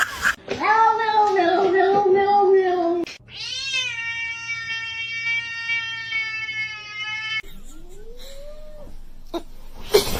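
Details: Domestic cat indoors giving a run of drawn-out meows: first a wavering harmonic wail, then a long steady yowl held for about four seconds, ending with a short rising-falling mew, with people's voices in the room.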